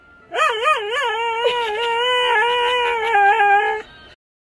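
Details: A Siberian Husky gives a long, dramatic howl that warbles at first, then holds a steady tone.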